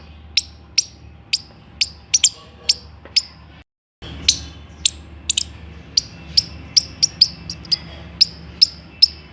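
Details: Squirrel chirps, bright and clipped, repeated roughly twice per second; a brief gap of silence falls midway, after which the chips resume, some in quick pairs, over low background hum.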